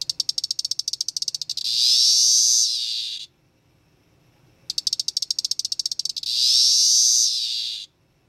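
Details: Male Magicicada tredecassini periodical cicada of Brood XIX, captured as a teneral in mid-May and calling from a terrarium on May 23 in the evening; two phrases, each a rapid ticking pulse train swelling into a loud, high buzzy whine that stops abruptly.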